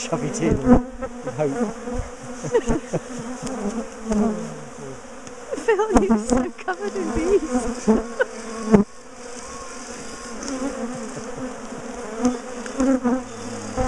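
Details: Large colony of defensive bees humming during the splitting and moving of their top bar hive. Constant low buzz layered with swooping whines as bees fly past, punctuated by clunks and cracks of combs and bars being handled.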